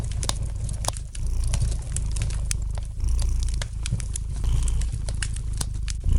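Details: Domestic cat's soft, low purr beside a crackling fire, a steady rumble that swells and dips with breathing, accompanied by rapid sharp pops and crackles of the flames.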